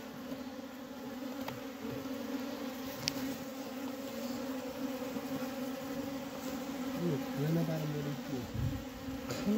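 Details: Diseased honey bee colony in Humla, some bees dead inside the hive. A steady low drone and overtone run throughout, with knocks, a sharp click and brief human voice late on.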